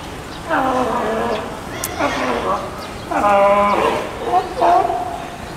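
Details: California sea lion pup about two weeks old, born 20 June, nursing at a zoo in Osaka, Japan, recorded 5 July 2014; four bleating, harmonic calls, each dipping or falling in pitch, separated by short pauses.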